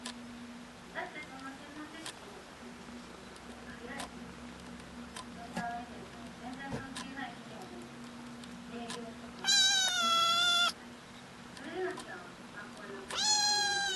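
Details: Kittens seeking their owners' attention: a long quiet stretch of faint rustling and low hum, then two loud, strained, wavering meows near the end, about three seconds apart.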